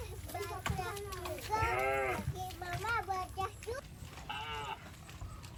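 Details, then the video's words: Cattle calling while walking through water in rice fields; several overlapping harmonic moos and shorter bawls follow one another closely over a few seconds, with splashing and background rustle. "Funny Cow Sounds Passing Water in Rice Fields"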